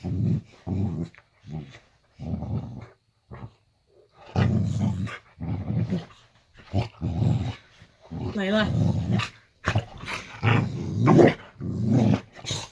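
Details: Boxer dog growling at bedtime in a bedroom at night: low, rough rumbling growls in short bursts separated by brief pauses, growing longer and louder toward the end, with a thin whine-like rising note in the middle.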